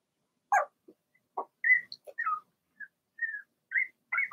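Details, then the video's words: Blenheim Cavalier King Charles Spaniel puppies, six in the litter, in a home puppy pen: scattered high yelps and drawn-out whining notes, some sliding downward, spaced through a few seconds. "Cavalier Puppies Bark, Howl"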